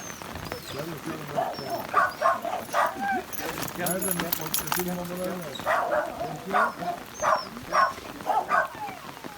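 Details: Alfa, a Rottweiler, reunited with its owner after four days boarded at a dog hotel, cries with joy: bursts of short, high, repeated yelping whines in two runs, with people talking between and over them.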